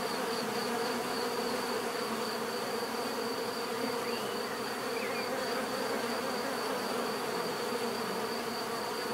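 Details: Continuous droning of many bees, a thick low hum that never pauses, topped by a constant high-pitched whine, with a couple of faint chirps slipping through midway.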